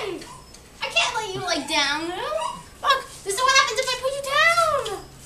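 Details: Twelve-week-old Siberian husky puppy Luna, indoors, vocalizing after spotting a turkey outside: two long, drawn-out whining howls that bend up and down in pitch, rich and tonal, separated by a brief pause.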